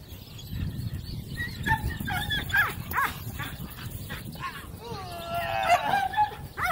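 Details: Gracie, a four-month-old female Cane Corso puppy, during a temperament evaluation against a decoy, gives scattered high yelping barks. They end in drawn-out falling whines, over outdoor background noise and human voices.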